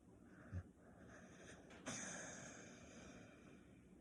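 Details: A napping female Staffordshire Bull Terrier snores, giving a short nasal snort, then a longer, rough, wheezy breath that trails off over about half a second.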